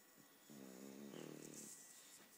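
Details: English bulldog named Polo snoring indoors, one drawn-out rasping snore of about a second with a buzzy, harmonic-rich tone, a quiet room behind it.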